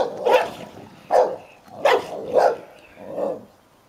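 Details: An old Hovawart managing his toy while a young American Staffordshire Terrier teases him into play; five hoarse, mid-pitched barks spaced about half a second apart, the last one softer.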